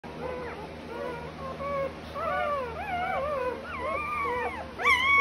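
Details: Doodle puppy recorded on 25 September 2020, giving high, wavering whines that rise and fall in pitch, several overlapping in a continuous stream, with steady low background hum.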